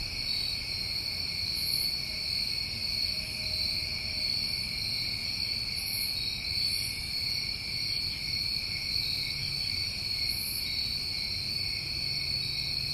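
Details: Summertime crickets at night in New England form a dense, steady chorus of high, continuous trilling in several stacked pitch bands, with faint brief hisses above and a soft low rumble beneath.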